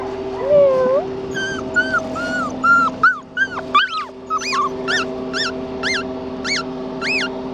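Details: Red tri male Australian Shepherd puppy whining: a run of high, rising-and-falling whimpers and yips, several a second, becoming sharper peaked squeals toward the end, over a steady musical hum and background music.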